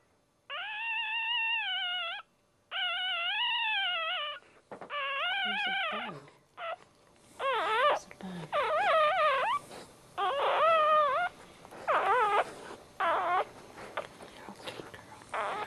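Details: Newborn male Dachshund puppy, the first born in the litter, crying right after birth: high, wavering whimpers in one- to two-second bursts, then shorter quavering cries in quick succession, with a few soft low sounds between.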